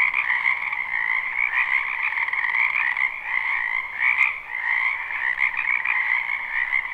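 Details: Many frogs croak together in a wetland in spring, captured live without loops. A continuous buzzing, pulsing chorus stays steady, and one short sharp click cuts through near the middle.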